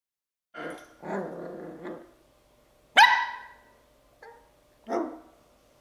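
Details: Andre, a 10-week-old Bichon Frise puppy, barks because he wants to play. Five short, yappy barks come over about five seconds. The first two are drawn out and rough, and the later ones are sharp and high-pitched, all in a quiet room.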